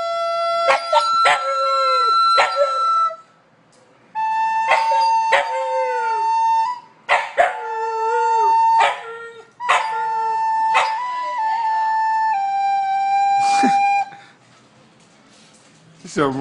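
A Siberian Husky howls in long, steady tones broken by sharp yelps, sounding like singing.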